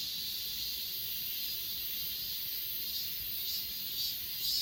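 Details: Short stretch of grass insect chorus from Achasan, filmed with an S20 Ultra: a steady high hiss with faint, irregular pulsing trills that swell slightly toward the end.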